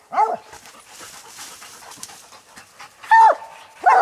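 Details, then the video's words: Coon dogs treed on a raccoon during a night hunt: a few scattered hoarse barks separated by long quiet gaps, with faint background noise between them. "coon dog treed hunting"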